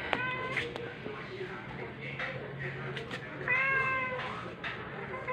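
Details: One-week-old rescue kitten in temporary foster care, filmed 4 July 2022 while being introduced to nursing mother cat Pepper; high, short mews with stacked harmonics near the start and a longer mew around mid-clip, with people talking.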